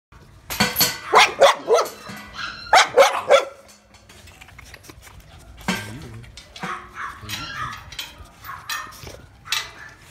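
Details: American Pit Bull Terrier puppies barking in short bursts of several sharp yaps, with quieter yelps and scattered noise between the bursts.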